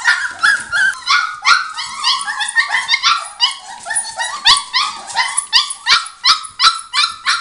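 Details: Five-week-old Border Collie pups crying in a small room, a dense run of shrill yelps and whines coming almost three per second, several voices overlapping.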